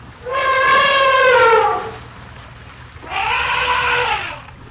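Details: A baby elephant and its parents make happy noises while in a river. Two drawn-out, tonal, harmonic calls are heard, each about one and a half seconds long, falling slightly in pitch, separated by a short pause.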